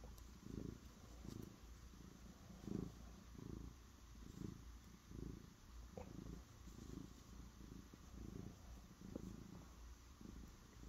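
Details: A cat purring close by: a deep, even rumble rising and falling in regular pulses roughly every three-quarters of a second, with occasional faint clicks and light background hiss.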